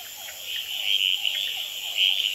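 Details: Male red-eyed treefrogs calling and fighting on a potted plant at an experimental pond in Gamboa at night, with hourglass treefrogs and other frogs calling behind; short bright chirping notes over a steady high-pitched chorus with faint lower sweeping trills.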